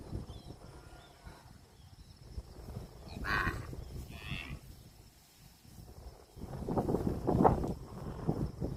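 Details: Cattle calling: low, muffled moos, a brief one mid-clip and a longer, louder one near the end, over constant rustling and rumbling background noise outdoors.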